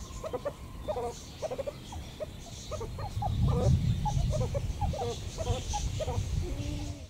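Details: Eifel meerkats give rapid runs of short squeaky chirps, several each second, with a few longer level whistles near the end, over a loud low rumble that swells in the middle.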